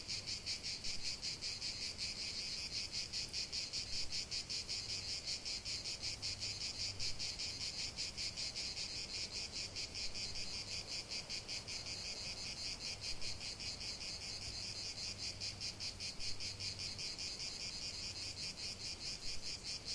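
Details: Cicadas singing in a 45-minute nature relaxation recording: a dense, continuous high buzzing chorus with a fast pulsing rhythm, steady throughout, with a faint low hum underneath.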